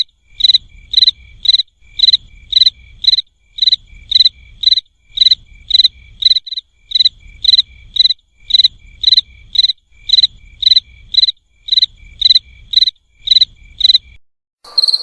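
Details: Cricket giving short, evenly spaced chirps, about two per second, each a crisp high buzz with an overtone, over a soft low rumble; the chirping stops near the end and a different short sound follows.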